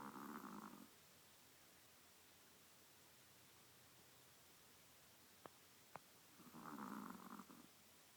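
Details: Chihuahua napping on a lap, snoring softly: two low, breathy rasping snores, one at the start and another about six seconds later, with a quiet pause between and two faint clicks.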